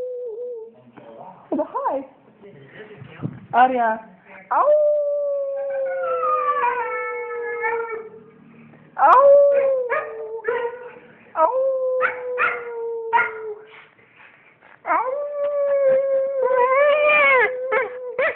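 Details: Responding to her owner's howling, the female dog Aria mixes choppy yips and whimpers with several long, steady howls that slide gently downward, the last one rising and wavering.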